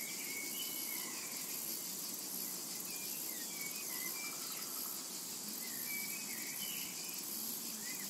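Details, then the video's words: Cicadas buzz steadily in a summer meadow, their high shrill hiss constant, while many birds add frequent short chirps, twitters and whistles throughout. "Summertime and Cicada Ambience"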